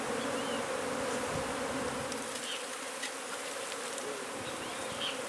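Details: Honey bee colony being removed from its hive under a wood pile at a property in McAllen, Texas; a dense, steady buzzing hum of many bees fills the recording, with a few faint clicks and scraping sounds.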